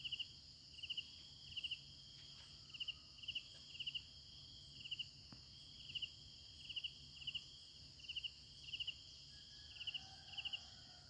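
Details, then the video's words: Crickets at night: crisp high chirps in short bursts of two or three pulses, repeating steadily about twice a second, over a continuous shrill ringing drone of other insects in a quiet background. "efek suara jangkrik malam hari"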